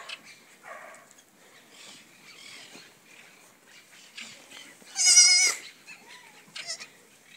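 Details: Goats in a pen with newly born kids: one loud quavering bleat stands out midway, with softer distant bleats and rustling around it.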